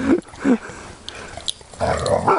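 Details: Dogs playing in September 2013 near a pond: short yelping barks at about 0.1 and 0.5 seconds, then a longer harsh bark burst near the end.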